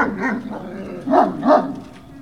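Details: Great Dane puppies at Puppy Hill, 18 November 2018: soft whining yelps, then two louder rising-falling barks close together, over a constant low hum.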